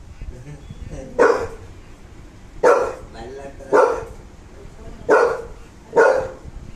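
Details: American Bully dog barking indoors: five loud, deep single barks spaced roughly a second apart, each a short harsh burst, over a low background hum.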